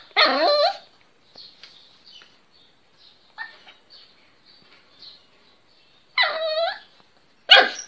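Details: First-time barking from a little Miniature Pinscher: a squeaky falling yelp-bark, several seconds of faint snuffles and small noises, then another high wavering yelp and a short sharp yap.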